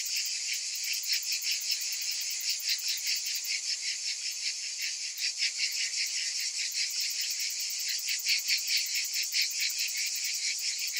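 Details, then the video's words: Cicadas calling on a summer afternoon, a dense high buzzing chorus that pulses in quick, uneven beats, with no other clear sounds. "Cicadas in Summer"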